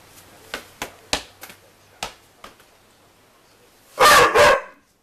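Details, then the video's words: NuNu the dog chasing a soccer ball and barking at it: a few soft taps and thumps from the ball, then two loud, harsh barks close together near the end. "NuNu Chasing Soccer Ball and barking"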